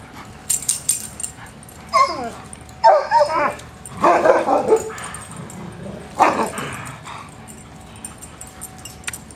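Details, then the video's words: Dogs at play give several harsh, growly barks and yips in bursts around two, three, four and six seconds, with quiet gaps between. "RELEASE THE HOUNDS, DOGS AT PLAY"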